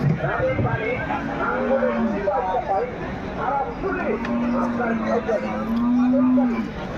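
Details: Cattle at the Hazratpur cattle market, part of a lot of 21 sold for the Kutub Bagh Urs; low, drawn-out moos of one to two seconds each, with people talking and market chatter throughout.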